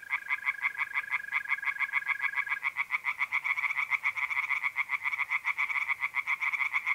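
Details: Pond tree frogs chorusing at night in mid-April, north-east Italy: dense, overlapping rapid croak pulses throughout, with a mole cricket's continuous even trill underneath for the first few seconds.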